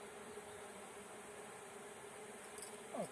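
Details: Swarming honey bees during a swarm capture: a continuous even drone, with a couple of brief sliding whines breaking in near the end.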